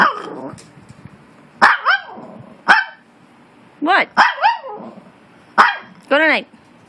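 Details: Maltese in a noisy back-and-forth with another dog: sharp yaps and arching whiny barks in short groups, with a person's voice heard at the start.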